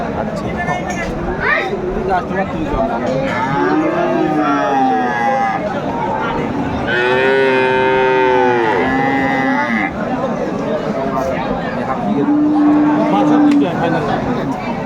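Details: Friesian and cross-breed bull calves at Aftabganj cattle market, Dinajpur, Bangladesh, on 10 September 2024; several drawn-out, low moos, near four, eight and thirteen seconds, with the middle call loudest and longest, over steady crowd chatter.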